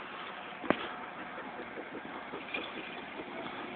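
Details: Outdoor background noise with a single sharp knock near the start and a faint distant hum throughout.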